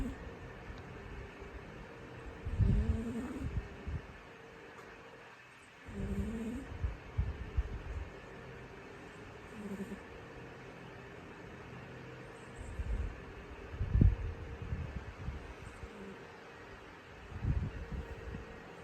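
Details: Orange, a sleeping orange house cat, gives deep raspy snores every few seconds, each a short low rumble, with faint squeaky tones on some breaths in a quiet room.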